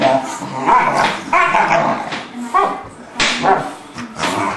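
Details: English Bulldog playing with a three-month-old English Mastiff pup named Forest: bursts of rough, harmonic barks and yips come roughly once a second, with short pauses between the excited outbursts.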